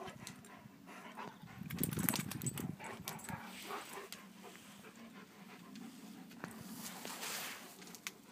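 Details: Two Kuvasz dogs, Hunok Gyöngye Bársonyka and Megyeri Nomád Csatár, in their daily competition on 4 March 2014; a steady, rough low rumble swells around the second second, with scattered sharp clicks and scuffling.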